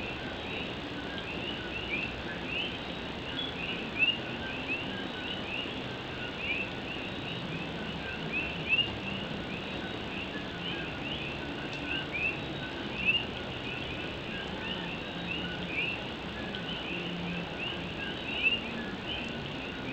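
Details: Puerto Rican coqui frogs singing at night in Puerto Rico during rain on an old tin roof; many brief two-note chirps repeat steadily over a constant hiss of rainfall.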